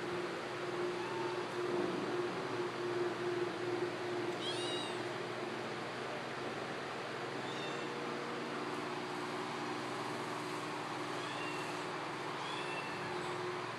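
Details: Mel, an eight-week-old kitten, gives several short, thin, high meows, each a brief arched note, spread across the recording at uneven intervals. A steady loud hum and broadband background noise fill the whole stretch and partly mask the calls.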